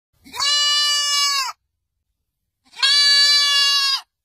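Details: A goat (Capra hircus) gives two long, nasal bleats, each held steady for over a second with a brief pause between.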